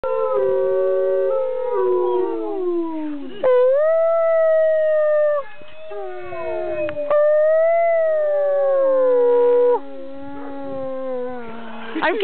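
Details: Pet dog howling along with its owner: long, drawn-out wavering tones that slide downward, overlapping voices rising and falling in several sustained phrases, with short breaks between them.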